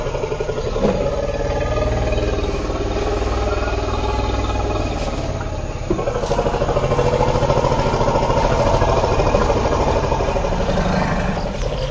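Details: A steady, rumbling vehicle engine idles with some clatter, and no animal voice comes through.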